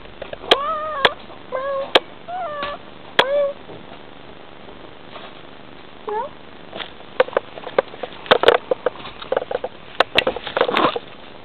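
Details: Bengal cat mother talking to her kitten indoors: a quick series of short chirping, trilling calls with bright rising-and-falling tones in the first three seconds, one more chirp near six seconds, then soft clicks and rustling.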